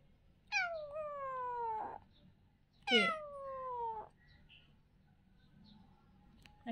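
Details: Playing kitten giving two clear, drawn-out meows about two seconds apart, each starting high and sliding downward with rich harmonics, in a quiet indoor setting.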